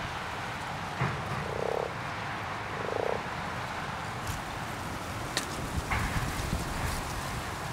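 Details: Common frog croaking in a pond during spawning: two short, low purring croaks in the first half, then only wind noise and faint clicks.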